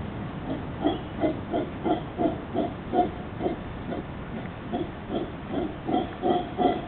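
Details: Howler monkey in Costa Rica giving a run of rough, low grunting pulses with harmonic overtones, roughly three per second, rising and falling in loudness over a constant hiss of background noise.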